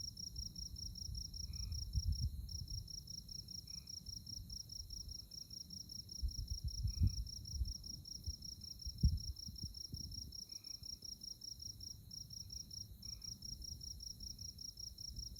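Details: Insects chirping on a moonlit night in the tallgrass prairie of Konza Prairie Biological Station near Manhattan, Kansas: a steady, high, rapidly pulsed trill running without pause, over low rumbling wind.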